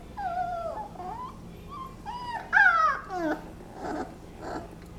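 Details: Twenty-day-old Basset Hound puppies whimper and squeak in thin, wavering, rising and falling tones during their nap.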